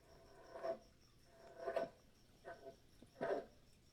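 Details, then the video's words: A captive green frog gives short, low, twangy gulps about once a second in the background against a quiet indoor setting, during a Connecticut nature talk about an eastern box turtle. "and if you hear that in the background that's not our turtle making noise that is one of our green frogs"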